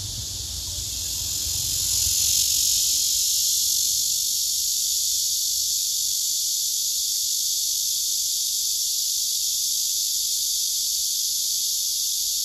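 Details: Male cicadas singing on a tree among several gathered cicadas, filmed with a phone camera: a steady, dense, hissing buzz that swells over the first two seconds and then holds unbroken and even.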